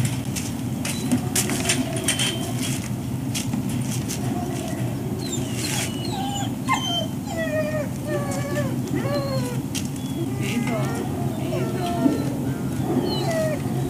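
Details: Breakfast wait at ServiceDogProject, Ipswich, Massachusetts, USA, October 14, 2017: dogs give many overlapping whimpers and yips, short curling pitch sweeps coming thick and fast in the middle section, backed by a continuous low droning rumble and clattering clicks.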